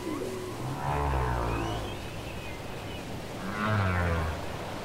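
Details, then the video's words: Cassette recording of whale song with deep, drawn-out groaning moans rich in harmonics. Two groans sit a few seconds apart, each swelling and fading, with faint higher tones above and a rough background hiss. "Les chants secrets des baleines"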